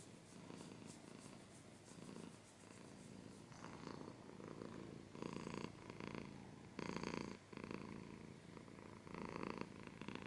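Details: Close-up domestic cat purring steadily, a low rumbling buzz that swells and fades with each breath, some stretches louder and brighter than others, in a quiet indoor setting.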